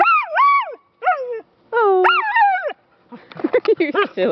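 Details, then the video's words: Singing female rescue pup available for adoption gives three arching, melodic howls that swoop up then fall, followed by a rougher, choppier stretch of mixed vocal sounds. "Singing dog"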